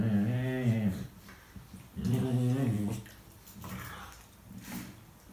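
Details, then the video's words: Rescue dog Tia, who talks rather than barks, vocalizes while playing with Sandy in 2018: three grumbling, groan-like utterances about two seconds apart, the first two loud and wavering, the last softer. "Tia being chatty with Sandy"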